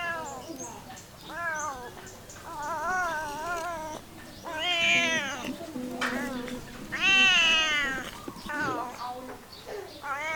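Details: A cat gives a run of meows, softer wavering calls first, then two louder drawn-out meows that rise and fall, over a steady low background hum and faint clicks.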